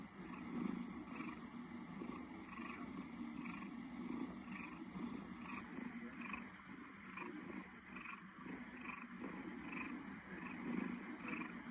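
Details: Domestic cat purring, a continuous low rumbling purr with a steady pulsing rhythm, recorded quietly close up with faint background hiss.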